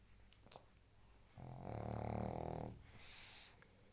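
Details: A pug gives one long, throaty snore lasting over a second, followed by a softer wheezing breath out.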